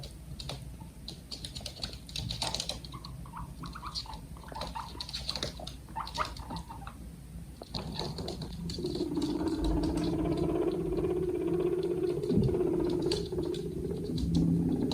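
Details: Two pet guinea pigs make soft, rapid clicking chatter followed by a steady low humming tone; guinea pig (Cavia porcellus) squeaks.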